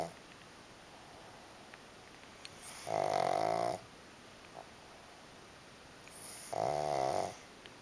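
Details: Sleeping pug, one of two dozing side by side, snores in a relaxed state. Two rough, vibrating inhalation snores of under a second each, roughly three and a half seconds apart, in a quiet room.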